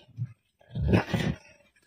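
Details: Wolf that has trapped himself inside a barn: a short low grunt, then after a pause a rough, breathy growling rumble lasting under a second, heard close in an enclosed space.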